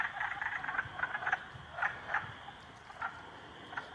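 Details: Three frogs ganging up on a salamander: a busy run of short, sharp, clicking croaks, irregular and overlapping, some in quick doubles, easing off toward the end over a steady background hiss.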